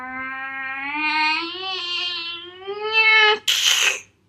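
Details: Cat during fighting: a drawn-out, harmonic moaning yowl slowly rises in pitch over three seconds, then breaks into a sudden harsh, breathy hiss.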